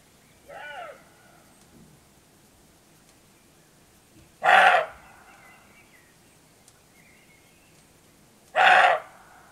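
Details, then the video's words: Roebuck barking before nightfall in Bulgaria's Rhodope Mountains, with roe deer calling back and forth. A faint, tonal bark comes first, then two loud, harsh, abrupt barks about four seconds apart over quiet background. "Roe Deer Barking/Сръндак лае"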